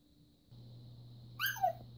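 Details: A talkative female red Siberian Husky gives a brief, high, sliding whine that drops in pitch, loudly demanding treats after snapping at another dog.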